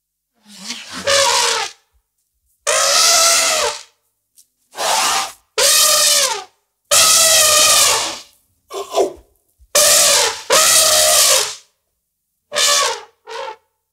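An elephant trumpets in a series of loud, brassy blasts separated by short silences.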